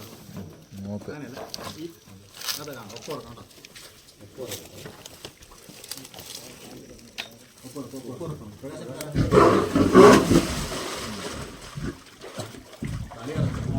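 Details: Leopard that has fallen into a well at Pulayampara, Nelliyampathy, during a rescue attempt: a loud, rough, broadband growling roar bursts out near the end, after a long stretch of men's voices talking over the scene.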